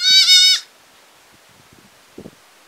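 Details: Village goat letting out a single short, nasal bleat at the start, followed by quiet with a few faint knocks and rustles.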